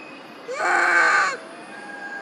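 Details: Mother monkey, Duchess or Queen, crying out for her missing baby Quinton: one loud, drawn-out harmonic wail lasting under a second, sliding up at the start then holding steady, against a quiet background.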